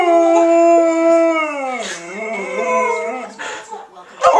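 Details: Trixie, a pet Alaskan Malamute, howling along with her owners: long, steady tones with rich harmonics that sag and waver midway, then break into shorter wavering notes and fade out.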